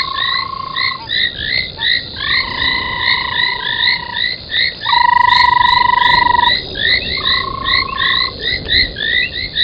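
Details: At 03:40 on 25 January 2021, frogs gather at an old foam nest beside Gowrie dam waterhole, Djuma Game Reserve, Sabi Sand, South Africa; rapid bright chirping croaks pile up densely, with drawn-out steady tones of one to two seconds cutting through.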